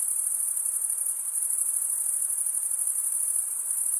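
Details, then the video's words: A brief stretch of cricket chirping, produced as one wing scrapes across the comb-like teeth of the other, heard as an even, very high, buzzing shrill without interruption. "Most relaxing cricket sound"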